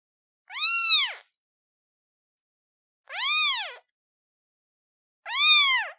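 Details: Kitten calling its mother: three high, arched meows with rich harmonics, each rising then falling and lasting under a second, separated by gaps of about two seconds in otherwise silent surroundings.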